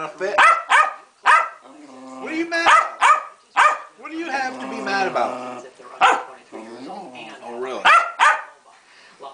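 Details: A fussing female Keeshond, Pancake, in a hissy fit: clusters of sharp, piercing barks interspersed with wobbling, throaty grumbles and whine-like moans, loud throughout.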